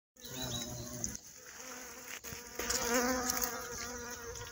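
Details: Violet carpenter bee in Mazovia, Poland, where the species was once considered extinct in 2002 and has returned; a steady, low droning buzz with harmonic bands, louder in the second half.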